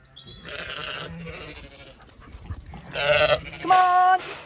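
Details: Zwartbles sheep grazing in late afternoon as the main flock moves to windcharger field, County Kilkenny, Ireland; low murmuring background, then two strong bleats close together in the last second and a half.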